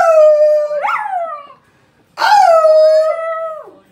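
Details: A female pet Miniature Schnauzer in Greece, who loves howling and "singing", gives two drawn-out, fairly high tonal howls with a brief pause between, each rising sharply, holding steady, then wavering down.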